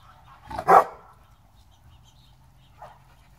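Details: Pit bull at play, from a kennel group of pit bulls and bullies: one sharp, loud bark bursts out, then a long quiet stretch with a low steady hum and a faint short yip near the end.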